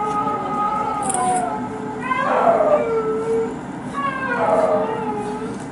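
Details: Twin Amur leopard cubs, 238 days old, filmed 7 April 2018, give high, wavering, meow-like calls, each drawn out and falling at the end.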